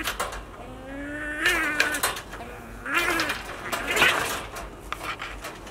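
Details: A baby otter, woken while still sleepy, fusses with a drawn-out, wavering whine, then angrily breaks into bursts of shrill, chirping squeals about every second and a half, before sulking back to sleep.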